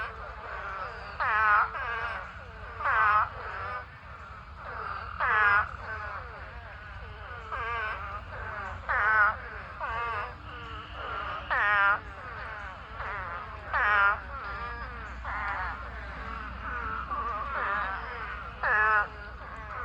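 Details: Pond packed with thousands of spadefoot toads in a mating swarm. A dense chorus of bleating, wavering cries, with louder nearby calls standing out every second or two over a steady background of many more callers.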